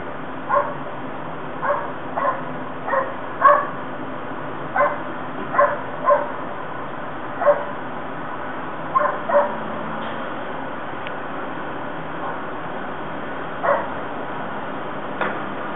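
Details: Dogs at the North End Avenue Dog Park in Battery Park City, heard through a closed double-pane bedroom window: sharp, loud barks in irregular bursts, often paired, about fifteen across the stretch, over a steady low city hum.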